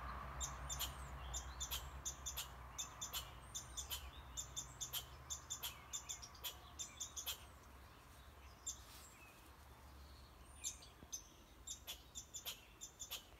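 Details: Barking red squirrel giving loud, abrupt clicking chucks in a fast, irregular series that grows more spaced toward the end, with faint high bird chirps and a low background hum.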